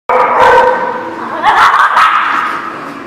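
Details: Dog barking, recorded 1/21/19: a loud harsh bark opens, followed by a second strained bark and a fading drawn-out yelp, with a clear tonal edge throughout.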